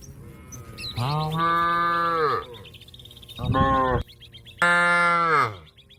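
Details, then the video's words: Field-grazing companion being called by a cow: three loud, deep moos, the first and last long and level before dropping at the end, the middle one short, over faint bird chirps. "suara sapi lembu memanggil kawan yang lagi makan rumput diladang the sound of a cow calling a friend"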